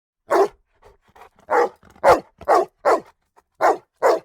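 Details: Dog barking: seven loud, harsh barks in quick, uneven succession, energy centred in the midrange, with faint softer noises between them and otherwise quiet background.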